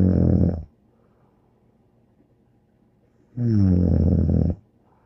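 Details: Bear, a dog, snoring: deep rasping snores with a rumbling low tone, each lasting about a second, separated by roughly three seconds of quiet breathing in a small indoor room.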